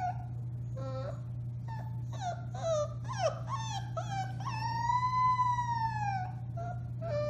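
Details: Four-week-old Alaskan Malamute puppies from the Bema and Cole litter, recorded March 30, 2021, howling: short whining yelps build into one long, smooth, arching howl near the end, over a steady low hum.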